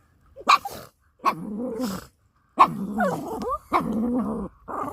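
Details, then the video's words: Pet dog tugging a toy, making funny noises: sharp bark-like onsets each followed by rough, sustained growling with wobbling pitch, about five bursts separated by brief silences. "Doggy tugging a toy, making very funny noises"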